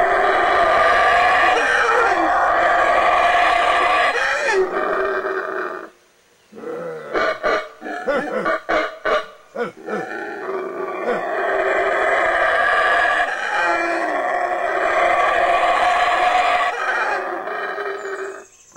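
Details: Black howler monkeys roar at close range in the Baboon Sanctuary, Belize: a long rasping howl, a break of choppy grunts, then another sustained roar lasting several seconds.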